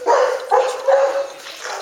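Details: Male dog, 4.5 months old, at a kennel: three short whining yelps in quick succession, each with a tonal, slightly falling pitch, then softer, fading whimpers.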